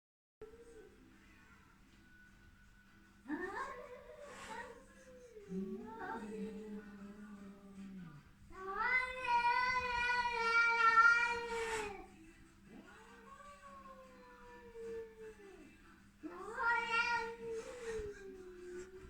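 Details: Cat Luna making funny noises while visiting the young neighbouring cats: several drawn-out, wavering meows, some rising and falling, one long and strongly harmonic, spaced a few seconds apart over a steady low hum.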